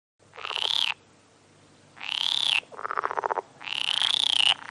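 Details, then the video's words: Frog croaks: long loud raspy calls about a second each, harsh and buzzy with a rising whining tone, alternating with a lower rapid pulsed rattle, in clean recording without other sounds. "Frog sounds"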